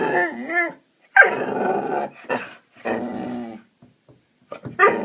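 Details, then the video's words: A 7-month-old Hungarian Vizsla indoors makes funny noises: a few short harmonic whines and rough growling bursts separated by brief pauses, with soft clicks near the end. "Amy making funny noises"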